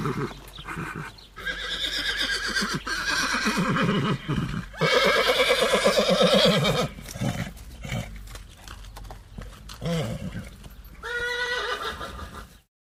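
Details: Horse. Loud, quavering whinnies from a horse rise sharply and then shake down in pitch, and a shorter whinny comes near the end. Background music and brief human speech run underneath.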